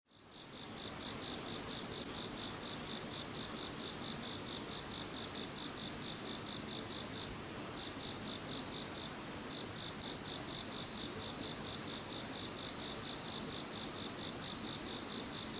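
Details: Insects calling after Typhoon No. 21 had passed, intended as background sound: a dense, steady high-pitched chorus of trilling insects, one bright band with rapid pulsing below it and a fainter shimmer higher up, unbroken throughout.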